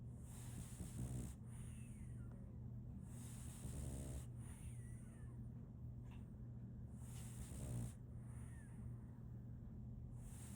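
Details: Solaimy, a female French Bulldog puppy, snores while asleep: low rumbling snore bursts come roughly every three seconds, each followed by a hissy breath, over a steady low background hum.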